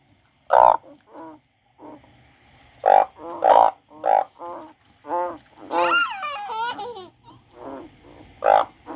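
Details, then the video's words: A frog described as crying: short loud croaks in uneven bursts, roughly every half second to two seconds, with one longer wavering, warbling call in the middle. "The frog crying"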